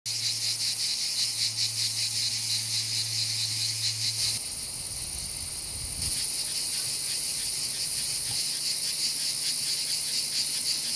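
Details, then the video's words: Cicadas in a summer invasion in Provence, France, a continuous high buzzing chorus with steady pulsing throughout, a low hum in the first four seconds, no other clear sounds. "Cicadas invasion"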